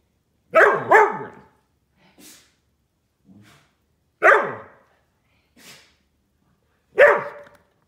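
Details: Silken Windhound barking at a bully stick: a sharp double bark, then single loud barks about every three seconds, with quiet soft huffs in the gaps and otherwise silence.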